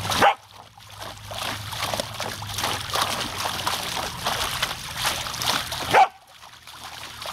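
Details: Female Samoyed named Savannah barking at a garden hose while playing in the water: two sharp, loud barks, one at the start and one near the end, separated by several seconds of continuous spraying and splashing water.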